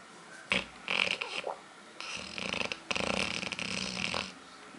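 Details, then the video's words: Aila, a female dog also called Lalá, snores while asleep and dreaming. Short rough, rasping snorts come in irregular bursts, separated by brief quiet gaps, indoors. "Roncando pra cachorro, ou melhor cachorra!!"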